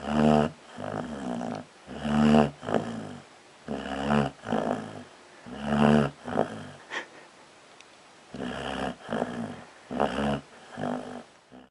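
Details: Dog asleep and snoring: loud, rasping snores in a slow rhythm, each a buzzy harmonic breath lasting under a second, coming in pairs about every two seconds, with a brief quiet gap midway before the snoring resumes.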